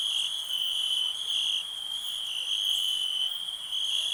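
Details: Quieter, continuous cricket trill, an unbroken high ringing tone that gently swells and fades, set against a soft background hiss.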